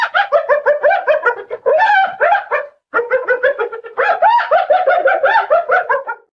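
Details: Hyena. A hyena cackles in fast, staccato bursts, each note harsh and wavering with a slight rise and fall. Two runs of this giggling chatter follow one another after a brief pause.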